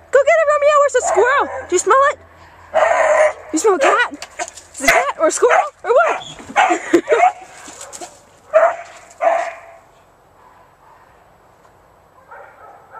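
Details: Beagle, a pet male dog, baying: loud, repeated yodelling howls and bursts with wavering pitch, lasting about ten seconds, mixed with a person's voice, followed by quieter fading sounds.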